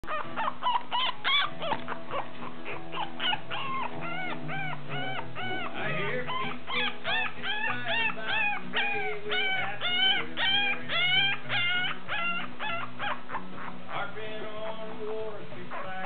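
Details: Black toy poodle puppies, two males and one female, at Kennel Mar-Len Kandík, making rapid, continuous high whimpers and yips that rise and fall in quick succession over a steady low background rumble.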